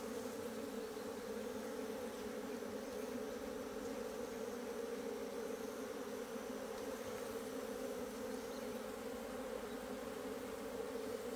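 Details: Asian honey bees inside an opened hive on 26 September 2023, the colony digging out its food comb; a dense, steady drone hums without pause, low and even throughout, with no other clear sounds.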